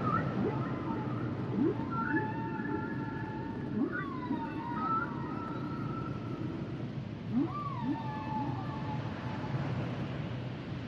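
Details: Humpback whales singing: layered drawn-out tonal whines holding steady then bending downward, several overlapping, with brief upswept chirps low beneath and constant underwater hiss.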